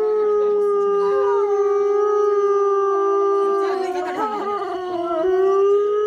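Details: Wolves in a pack at Asahiyama Zoo, Japan, give sustained group howls: one even, drawn-out tone carries throughout while other voices bend and dip beneath it, briefly dropping lower near the middle.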